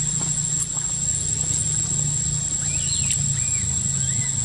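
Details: Baby macaque Quinton crying in a park after rough handling by a sister monkey: a few thin, high arching squeals, rising then falling, clustered near the end over a steady low hum and constant background noise.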